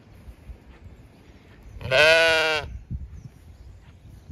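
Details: Zwartbles sheep in a field on a regenerative farm in County Kilkenny, Ireland, screaming with loud bleating while a ewe or lamb is missing; one strong, harmonic, slightly quavering bleat lasting under a second over quiet background rustle.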